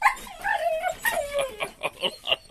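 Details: Tied Labrador Retriever puppy, thinking he is getting left behind, gives drawn-out falling whines followed by a run of quick high yips while a person speaks to him.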